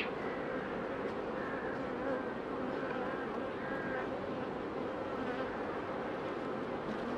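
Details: Queen honey bees in pre-narcosis ahead of instrumental insemination, a continuous even buzzing hum throughout with no other clear sounds.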